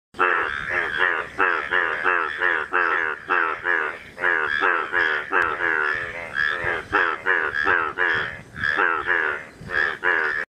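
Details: Indian yellow bullfrogs call in a dense chorus of loud, nasal, harmonic croaks repeated in quick succession.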